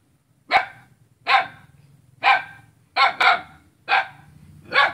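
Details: Dog in Selat, Kapuas, Central Kalimantan, barking at a neighbour, recorded 5 August 2017: six forceful, harsh barks roughly every three-quarters of a second, two coming in quick succession, with a faint low hum between them.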